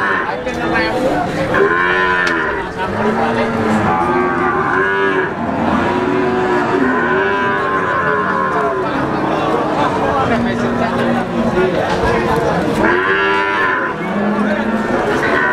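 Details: Brahman cattle (PO Brahman cows) at the Sumber Lawang cattle market; many overlapping loud, drawn-out moos and bellows, some rising then falling, continuous chorus from several animals throughout.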